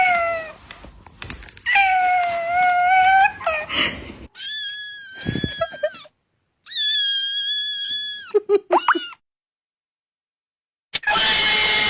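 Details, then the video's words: Domestic cat giving a series of drawn-out, high-pitched meows, some level and strained, others bending downward, separated by short silences, with brief clattering noises and a sudden burst of noise near the end. "suara kucing"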